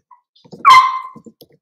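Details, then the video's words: Playing Cavalier King Charles Spaniel puppy raised indoors in a home pen gives a single sharp, loud yelp that trails off into a short falling tone, with faint scuffling before and after. "Cavalier Puppies Live: Puppies Playing"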